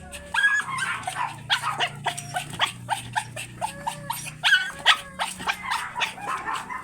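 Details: Teacup Pomeranian dogs at a kennel house offering stud service: rapid, high, sharp yapping barks tumbling over one another several times a second, some with brief whiny overtones, with a low background hum.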